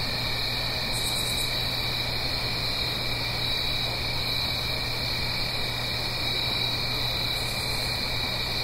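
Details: Crickets singing on an autumn night in the Blue Ridge Mountains, up the hill from a gentle stream: dense continuous high trilling in steady bands, with a low constant hum and a few brief higher chirp bursts.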